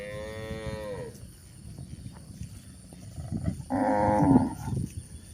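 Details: Grazing village cows in a countryside pasture; one drawn-out moo sliding downward opens the passage, a quiet pause with rustling follows, then a second louder, rougher moo near the end.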